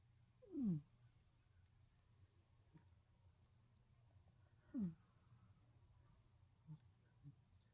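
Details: Asleep, a cat snores with two squeaky breaths that slide downward in pitch, about four seconds apart, over a steady low hum.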